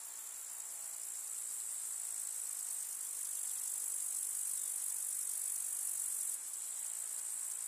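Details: A summer meadow chorus of grasshoppers in the countryside: an unbroken, very high, hissing stridulation, steady throughout with a small dip in loudness toward the end.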